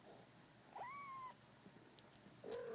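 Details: Domestic kittens, 35 days old, cuddled by their new mother cat indoors: one clear, high kitten mew that rises then levels, followed by silence and a lower, short call at the end.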